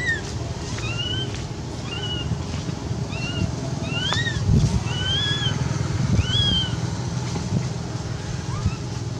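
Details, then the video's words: Frightened cat Quinton begs for milk with thin, high, repeated meows roughly every second, some slightly rising then dipping, while a constant low mechanical drone fills the background. "Poor Quinton begging for milk."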